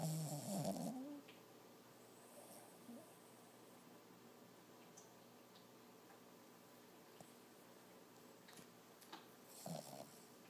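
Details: Toby, a six-month-old Lhasa Apso puppy sleeping and dreaming indoors, lets out a loud, wavering, harmonic whine-like snort lasting about a second, then settles into quiet, low, even breathing with faint soft stirrings in a small room.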